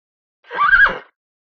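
A pony gives a brief, high neigh that climbs, holds and falls away.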